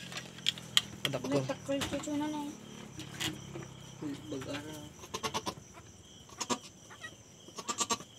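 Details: Newly born goat kid bleating: a few wavering, tremulous cries in the first half, then a shorter pair of calls midway, mixed with human talk and sharp clicking knocks in the background.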